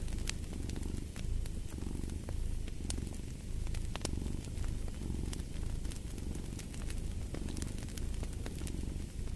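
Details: A cat's low, continuous purr rising and falling in regular cycles roughly every second and a half, set against a cozy fireplace with frequent crackles and sharp wood pops.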